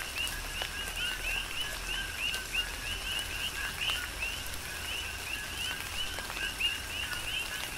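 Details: Coqui frogs calling through a tropical rain shower on the Big Island of Hawaii: bright two-note chirps that rise at the end repeat every half second or so from several overlapping frogs, over a steady hiss of rain with scattered drip ticks.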